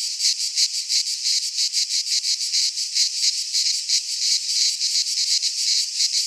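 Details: Cicadas singing in midsummer in a Greek pine forest: a loud, continuous high buzzing chorus pulsing in rapid rhythmic waves, roughly three pulses a second, with no other sounds.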